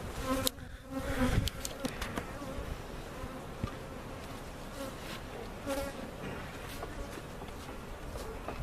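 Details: Honey bees taken from a hive cutout, being moved to a permanent home on a Central Oklahoma bee farm; a humming drone with wavering tones sits beneath frequent quick clicks and bangs from equipment being handled.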